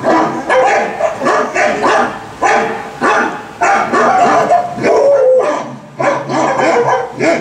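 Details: Pet dog Ginger vocalizing along with a Volkswagen commercial, giving yelping, howl-like cries in repeated bursts, several sliding up and down in pitch, with a longer wavering wail near the middle.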